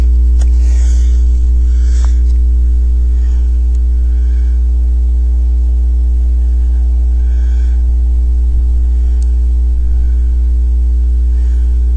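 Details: A loud, constant low electrical hum fills the recording, with a few faint clicks and no animal voice.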